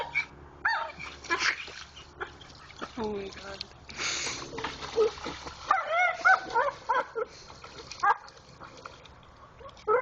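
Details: Pit Bull named Jayde digging for a rock in a creek, making funny noises: high wavering whines and squeaky yelps rising and falling, scattered through splashing water, with laughter and a man's voice.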